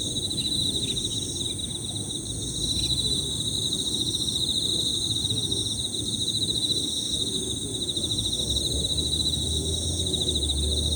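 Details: A chorus of Emma field crickets producing overlapping high, rippling pirririri chirps without pause, joined by shrill higher insect buzzing, occasional short bird calls and a low droning rumble near the end.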